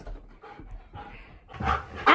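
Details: Siberian Husky named Key, a pet dog prone to sudden bursts of energetic zoomies, heard indoors with soft breathy huffs and pants that build into a louder, rougher vocal burst at the very end.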